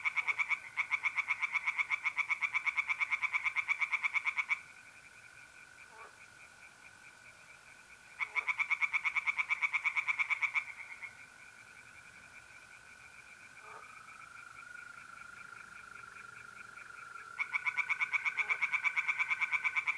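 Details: Tree frogs calling at night from a pond in north-eastern Italy in mid-April. Three separate bouts of fast, rattling pulsed croaks, each a few seconds long, alternate with quieter gaps filled by the steady trill of mole crickets.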